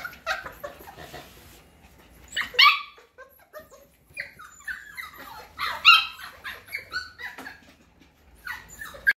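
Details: Cockapoo puppies, F1 cross of a cocker spaniel dam and mini poodle sire: irregular high yips and whimpers, two louder bursts standing out among softer squeaks, over faint rustling background noise.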